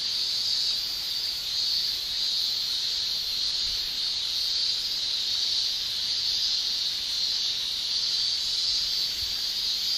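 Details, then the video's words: Summer cicada chorus from Japan, male tymbal singing heard as a continuous piercing hiss-like shrill, very high and even in loudness, gently wavering throughout without pauses or other animals. "Japan Summer Cicada Shrilling Relaxing Sound"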